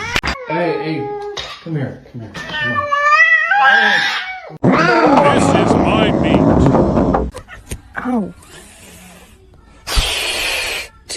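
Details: Cat in a funny cat compilation making several short, wavering meows that rise and fall over the first four seconds, then loud human talking and indoor noise take over.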